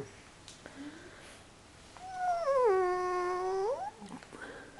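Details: Tired puppy Phoenyx, taught to 'talk' in a small room, gives one long howling whine of about a second and a half that dips lower, holds steady, then rises sharply at the end; soft background noise before and after.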